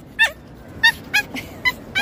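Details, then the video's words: Female pinscher at the beach, stressed and barking: short, thin, high yelping barks, about six in two seconds, somewhat irregular, over soft background noise. "PITUCA A PINSCHER ESTRESSADA NA PRAIA"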